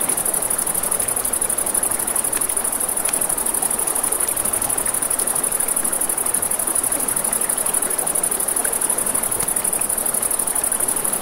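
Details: Night crickets near a riverside campfire keep up an unbroken shrill trill, layered over the low steady rush of flowing water and scattered soft fire crackles.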